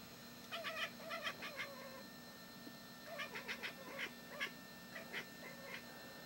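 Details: Female house cat keeping watch over the yard, barking at a bird to drive it off, a habit picked up from a dog: bursts of short, staccato yelping chirps mixed with brief nasal mews, in two separate volleys.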